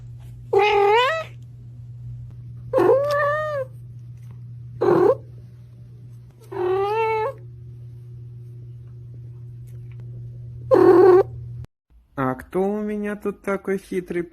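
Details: A domestic cat gives five separate drawn-out meows, each about half a second long and spaced a few seconds apart, over a steady low hum. A quick series of short, clipped meows follows at the end.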